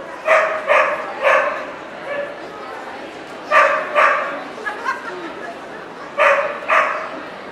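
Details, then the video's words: Welsh Corgi barking at a dog show in Ostrava on 14 April 2012. Seven sharp, loud barks come in short clusters of two or three, separated by pauses, over a steady murmur of hall crowd noise. "NVP Ostrava 14.4.2012 Welsh Corgi Cardigan, Welsh Corgi Pembroke"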